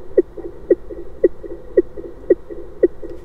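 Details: Fin whale. Fin whale calls, sped up so the deep pulses become audible, land as short, hollow knocks at a steady beat of about two per second. Softer echoing thuds fill the gaps between the main pulses.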